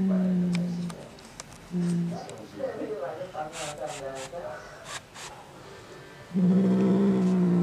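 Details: Angry male domestic cat reacting to a black cat resting outside, giving low, steady, droning growls in three bursts, the last long and loud, with quieter muffled sounds between them.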